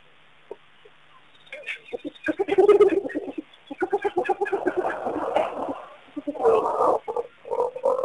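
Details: Spotted hyenas, a group returning several times in the morning to Pete's Pond waterhole, Mashatu Game Reserve, Botswana, July 6, 2010, on a wildlife camera; rapid rasping, pulsed growls in bursts, building and fading over several seconds, with brief gaps of quiet.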